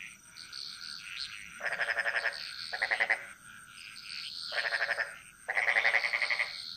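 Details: In the Bali jungle, a frog gives bursts of rapid, rattling pulses over a steady high chorus of insects.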